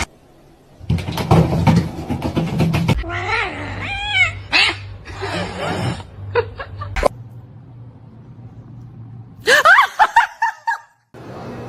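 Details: Cat uttering a quick series of short, bending meows, then a louder rising-falling cry near the end, interspersed with sharp clatters, rustling bursts and a low hum.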